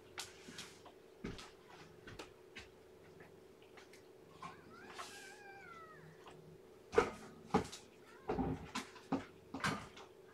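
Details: Weak, underweight newborn kitten of the cat Shelby, lethargic and unable to hold her temperature, being fed and warmed indoors; one thin, rising-then-falling meow midway, surrounded by soft clicks, taps and handling rustles.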